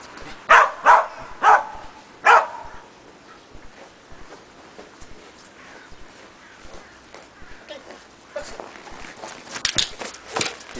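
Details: Sheltie Preston in agility foundation work on a box and jump grid: four quick, sharp barks at the start, then footsteps and rustling, with some brighter clattering noises toward the end.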